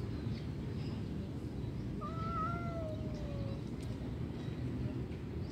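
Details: Cat's lone meow, about one and a half seconds long, starting abruptly and sliding gently downward in pitch, heard over steady low-frequency background noise.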